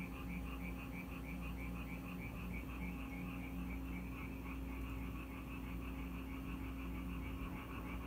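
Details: Frogs in Korea that came to a house whenever it rained, heard as a continuous stream of rapid, rhythmic pulsing croaks over a strong low hum and steady background noise.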